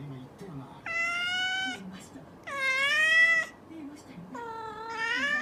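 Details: A mischievous house cat gives three long, loud, steady meows, each about a second long and separated by short pauses, with faint low background sounds indoors.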